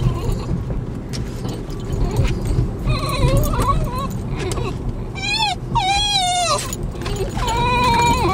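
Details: Excited Basenjis whining on the way to a nearby park: bursts of sharply wavering, yodel-like high whines, with one long quavering cry near the end, overlapping a woman's excited talk and a constant low rumble.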